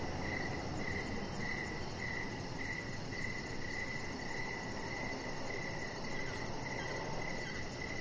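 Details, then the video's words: Crickets chirping outdoors in the evening beside a deck: a steady train of short, high chirps repeating roughly twice a second, laid over a constant low rumbling background hiss. "with Cricket Sounds"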